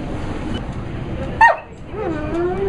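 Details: Prince Albert the dog 'talking' to his owner: one sharp bark, a short pause, then a wavering, rising-and-falling vocal tone, with faint background hum.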